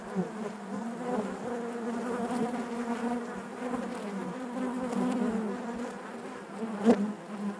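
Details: A continuous low hum of honey bees in their hive, smooth and steady with gentle wavering overtones, broken by one sharp knock toward the end.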